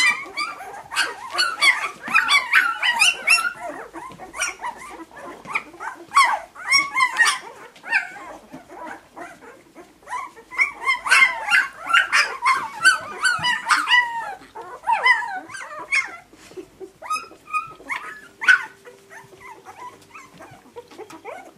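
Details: Several puppies squeal and yelp together in dense overlapping bursts of high whines, with busy stretches broken by quieter pauses over about twenty seconds.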